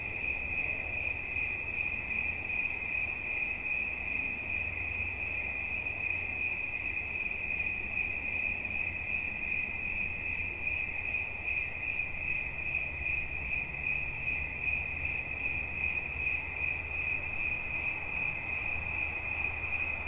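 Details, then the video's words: A cricket chirps without pause: one high, pulsing tone holds for the whole stretch, with faint overtones above it and a soft low rumble underneath. "Świerszcz. Dźwięki relaksacyjne"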